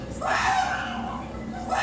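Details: Habituated chimpanzee, used to crossing roads and seeing humans, vocalizing in extreme distress at road construction with large machinery; a loud, hoarse, sustained screaming call with a broad tonal band, rising then holding steady before fading.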